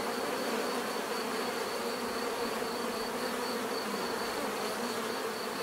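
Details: Natural buzzing of a swarm of bees: an even, continuous drone layered in several humming bands, with a soft throbbing high tone steady across the whole stretch and no other clear sounds.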